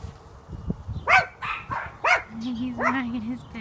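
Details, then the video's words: One-year-old black Miniature Schnauzer, on his first time this close to a squirrel, gives about four short, sharp yipping barks spaced roughly half a second apart, then a steady, low, drawn-out whine; a person's voice is heard nearby. "One-year-old black Miniature schnauzer seeing a squirrel"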